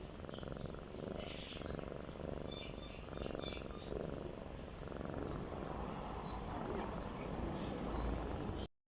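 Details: Domestic cat breathing, heard as a soft rhythmic rasping pulse roughly every second, low and steady, with several short high chirping bird calls in the background.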